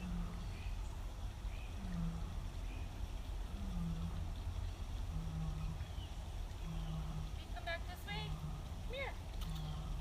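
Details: Nikita, a captive female lion at a big cat rescue, roars in the background during evening meds and feeding on 26 April 2017. She gives deep, short grunting roars about once a second beneath human voices, calling back and forth with another female big cat.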